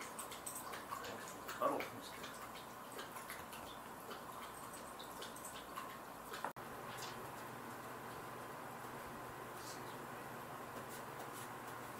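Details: Quiet indoor room tone with a few soft knocks and drips and one sharp click midway, and no barking or other animal sound.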